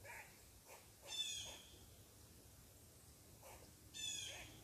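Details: Squirrel upset because someone is sitting on its tree, giving short, harsh, high-pitched barks in two bursts about three seconds apart, with faint fainter chips between.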